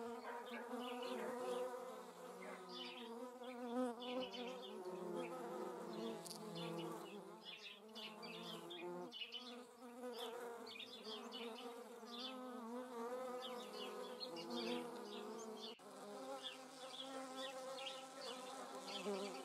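Hornets give a steady, droning wing buzz that wavers in pitch as several insects fly close by.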